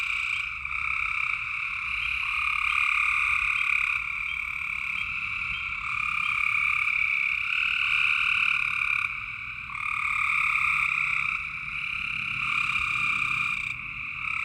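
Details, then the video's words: Night frog chorus from Tennessee, many callers trilling steadily in two layered pitches, the high shrill layer loudest, fading briefly around nine seconds before resuming just as thick. "Tennessee frog sounds at night"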